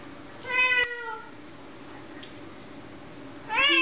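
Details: Domestic cat at a boarding facility, indoors with another cat nearby, gives a clear drawn-out meow that falls slightly in pitch, then starts a second rising meow at the end; steady low room hum underneath.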